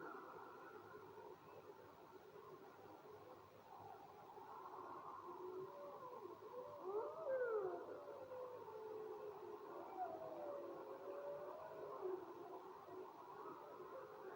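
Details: Howling wolves, faint drawn-out tonal howls, with a few sweeping glides in the middle where voices rise and bend before settling into lower steady tones, all set against constant soft background hiss.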